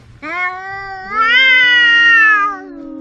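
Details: Domestic cat giving a single long meow, starting with a short note, then swelling into a loud, drawn-out, slightly rising cry with rich harmonics, held about one and a half seconds before fading into quiet background.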